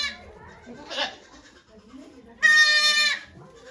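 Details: Goat bleating at Yoshigake Farm, Japan, on 3 May 2023, as the doe Okayu gives birth to two kids before volunteers; a faint short cry, then one loud, strained, steady bleat of almost a second, with low voices behind.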